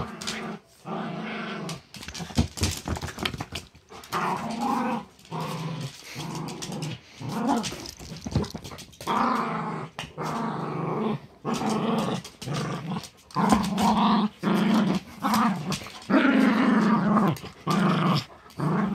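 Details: Two pet dogs, a chihuahua/terrier mix and a great pyrenees/lab mix, growl while playing tug of war over a pink dragon toy. Low, rumbling growls come in long bouts, broken by brief pauses, with some harsher, rising snarls toward the end.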